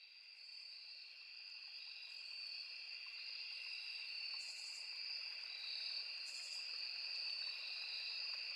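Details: Crickets with cicadas and other insects by a small forest river: two steady, shrill buzzing bands, the upper one a high continuous trill, droning unbroken across the whole stretch. Faint bursts of higher hiss come and go, over a soft bed of running water.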